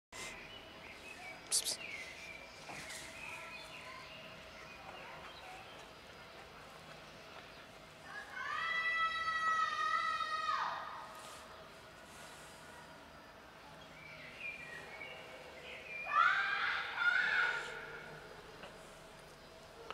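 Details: Cats gathered on a bench, a black kitten among them, outdoors. Two drawn-out harmonic meows, the first steady and long, the second shorter and wavering, over a faint background of distant chirps and soft clicks.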